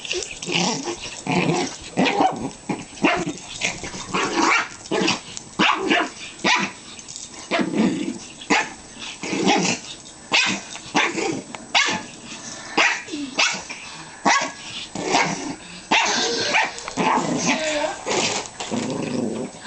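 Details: Playfully ferocious tussle between two pet dogs, a Pomeranian Chihuahua mix and a Jack Russell Terrier, on a bed; steady stream of sharp yips, barks and growls in rapid irregular bursts, mixed with bedding rustle.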